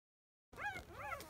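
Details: Five-day-old field-type Labrador Retriever puppy, born to the 2017 JFA grand champion biscuit, at 10 a.m. nursing time, giving a short whimper: two rising-and-falling whiny squeals after a moment of silence.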